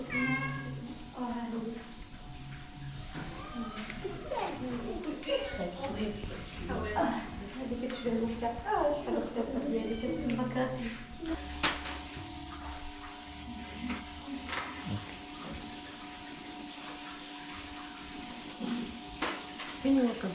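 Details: Cats calling while the vet is on the way, short wavering meows mixed with Arabic speech in the first half, then a steady low hum with occasional clicks and knocks.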